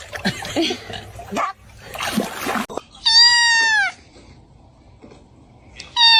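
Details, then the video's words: Cat giving a clear, arched, mid-pitched meow that rises then falls, followed moments later by the start of another, after a stretch of rustling noise and voices. "cats meowing"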